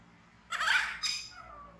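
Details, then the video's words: Scared infant monkey rescued from the jungle after losing its mother, screaming: one loud, raspy, broadband shriek lasting about half a second, then a brief second burst that fades into a thin whining tail. "Baby Monkey BEAN Frighten Screaming"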